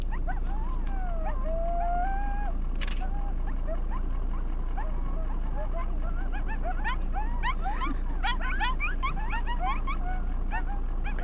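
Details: In the Lamar Valley, a coyote howls with long, gliding, wavering notes, then breaks into rapid high yips over a low wind rumble.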